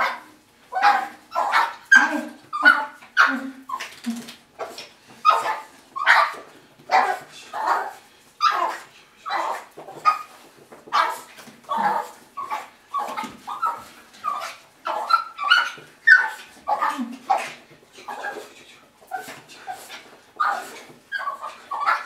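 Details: Young indoor Russian Toy Terrier aged six and a half months welcoming owners back from work. Sharp, high yaps come in a steady run, roughly one or two each second, interleaved with brief low whimpers and whines throughout.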